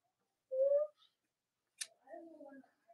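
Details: Cavalier King Charles Spaniel puppies from Robin and Myra's litters, filmed indoors on a chilly late-October morning in the US: a short rising tonal squeal, a sharp click, then a wavering lower whine that trails off.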